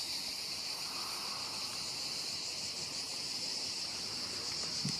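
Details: Cicadas singing among pine trees at a hotel in the Var, southern France, during a family weekend: a dense, unbroken high buzzing chorus that holds steady in loudness throughout, with faint lower hiss beneath.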